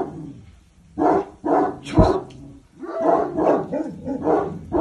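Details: Cane Corso named Boçi barking during command training: a run of deep, harmonic barks, some paired and some single, with short pauses between them and no other clear sounds.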